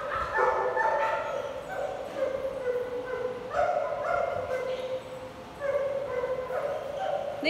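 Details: Big dogs at a play group bark and yip almost continuously in overlapping, harmonic bursts, with people speaking under the noise.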